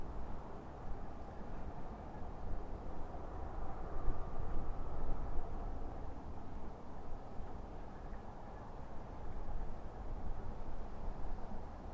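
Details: Steady low rumbling noise like a vehicle or wind, with no animal calls heard.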